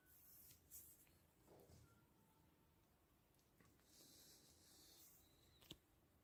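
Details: An angry domestic cat gives a soft, breathy hiss back at its owner in a quiet room.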